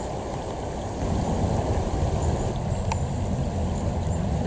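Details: Steady low rushing of flowing water, like a stream or wind, with no animal calls.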